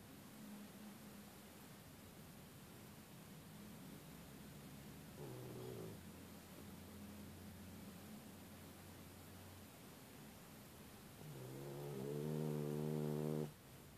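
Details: Tess the dog snoring while asleep: faint low droning breaths through the first half, then a loud, buzzy, harmonic-rich snore swelling near the end and cutting off abruptly; quiet indoor background.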